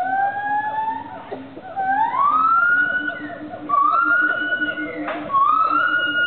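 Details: Gibbons calling to each other at the Wildlife Friends Foundation of Thailand sanctuary in southern Thailand: a series of loud, sliding whoops rising from low to high, each held and repeated every one to two seconds, over a steady low hum.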